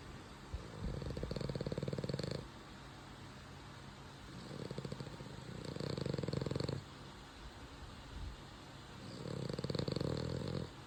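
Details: French Bulldog puppy asleep and snoring: three long rumbling breaths, each about one and a half seconds, coming roughly every four seconds, low and rattling, with quiet pauses between them.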